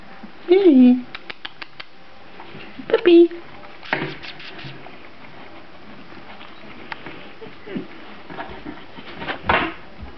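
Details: Young Grand Basset Griffon Vendéen puppies, filmed 15 May 2009 as they start moving: two high, thin whines that slide downward, followed by clicks, tapping and rustling noises.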